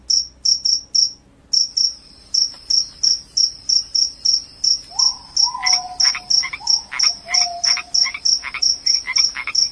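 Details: Cricket, a loud call offered as a rat repellent and sleep aid, giving short high shrill chirps about three per second, with a brief gap near the start; a lower sliding whine and pulsed buzzing join midway.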